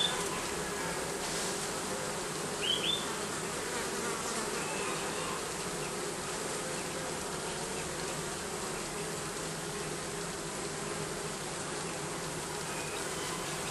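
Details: Steady, unchanging drone of bees under the roofing, sustained for the full length, with one faint brief bird chirp early on.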